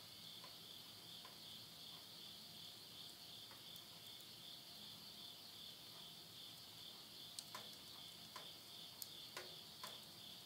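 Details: Countryside insects at midnight, Tottori, Japan, end of summer 2020: a continuous thin, high buzzing trill holds steady while the wood fire in a stove snaps and crackles repeatedly, most often toward the end.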